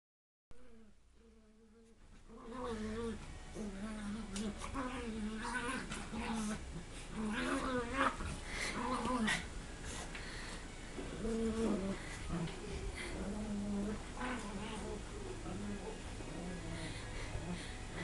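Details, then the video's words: Two dogs, one big and one small, play fighting at a house; drawn-out wavering growl-whines rise and fall repeatedly after a quiet start, with scuffling and a person's voice now and then. "Big dog against Small dog Small dog wins"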